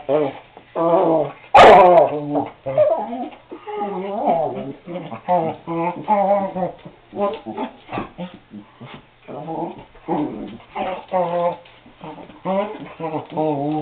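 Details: Cardigan Welsh Corgi Seamus pleading to be let outside, kept in until he is quiet: a near-continuous stream of moaning whines and grumbling yowls, with one sharp bark early on.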